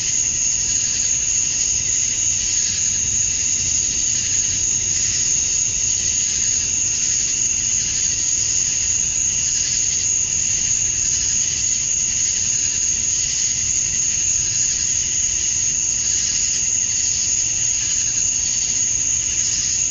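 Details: Male cicadas at dusk on a Georgia, USA summer night, calling for females: twenty seconds of steady, dense shrill buzzing with a sustained high whine, slight gentle pulsing in intensity, distant low hum below.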